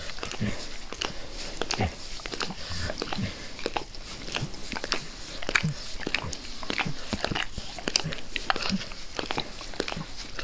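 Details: Pet dog Max laps enthusiastically at his owner's face indoors; dense, crisp slurping clicks follow one another almost continuously, with a few muffled low grunts beneath.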